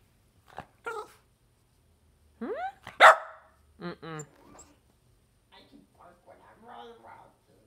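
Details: Two dogs ganging up on their owner give short sharp barks, a rising whine and a loud yelping bark, then quieter grumbling vocal bursts, with some human voice mixed in.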